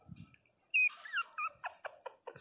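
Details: Pinscher puppies, 22 days old, crying loudly: a high whistled whine opens, then a run of short falling squeals and yelps in quick succession, with faint handling noise before.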